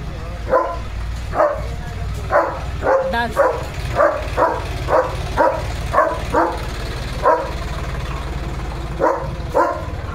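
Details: German Shepherd dog barking at home as a tractor and JCB come by; steady deep barks repeated roughly every second over a loud engine rumble.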